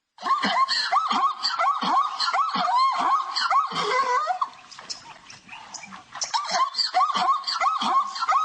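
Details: Zebra yelps in a dense, unbroken run of rapid arched barks. The calls overlap and sound harsh and noisy, fade briefly in the middle, then pick up again at a strong level.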